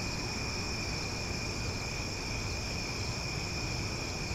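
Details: In Omaha at night, cicadas drone in an unbroken, high-pitched shimmering buzz over a low background hiss.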